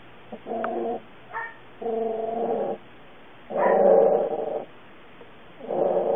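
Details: Puppy uttering a series of drawn-out tonal howling whines, each lasting around a second, repeated with short pauses, some rising and wavering.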